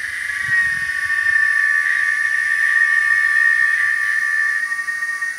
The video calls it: O canto da cigarra.